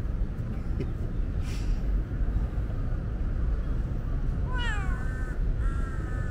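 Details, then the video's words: Female tabby cat meowing insistently on a hot day because she is thirsty and needs a drink; a falling, wavering meow followed by a flatter drawn-out one late in the clip, over steady low rumble with brief knocks earlier. "Very talkative tabby is thirsty."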